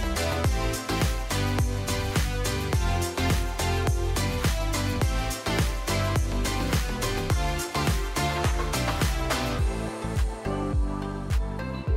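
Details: Upbeat electronic music with a steady driving beat plays throughout, and no animal sound comes through.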